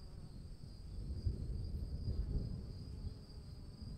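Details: Crickets calling in the rain: a steady high trilling band with a fainter higher overtone runs unbroken through the clip, over heavy low rumbling rain noise.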